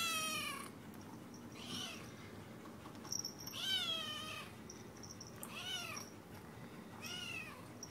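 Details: Contented house cat near her food utters a string of five short arched meows, roughly one every one and a half seconds, over low steady room noise.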